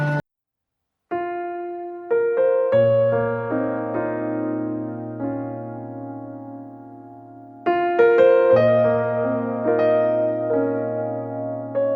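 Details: Gentle electric piano melody with sustained chords and a short pause near the start; only music, no animal voices.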